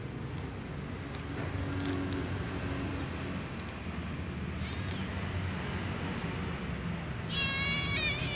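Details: Ginger cat, a female, waking after sleeping on her back, gives one short meow near the end, a falling harmonic tone after a long stretch of steady low hum, with faint bird chirps in the background.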